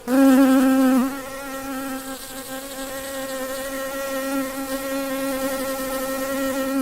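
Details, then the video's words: Honey bee's buzz starts loud and wavers at one second, then settles into a long, unbroken, level hum with layered overtones. "Bee sound"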